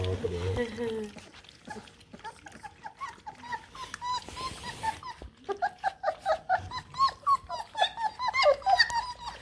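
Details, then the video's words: Feeding time for eight Bluetick Coonhound puppies: a person talks at first, then many overlapping high whines and yelps in quick pulses, building to a busy chorus of puppy cries near the end. "CHOW TIME for 8 BLUETICK COONHOUND PUPPIES!!"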